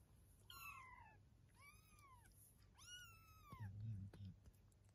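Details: Indoor recording of Eve the cat with her kittens, 23 days after birth: three long, curving meows, each swelling and fading, followed by a brief low murmur of a human voice.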